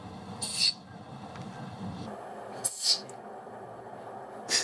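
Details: Siberian musk deer (Moschus moschiferus) gives three short, breathy, unevenly spaced hisses as a threat response when it feels endangered; a rarely heard wild-animal hiss, distinct from roe deer and water deer, with most energy at about 13,000–14,000 Hz.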